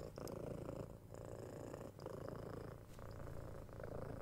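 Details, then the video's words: Six-month-old kitten purring while being cuddled, given head scratches and soft kisses; a continuous low rumbling purr that swells and dips with each breath, about every second, with a few soft clicks and taps. "Cat Purring"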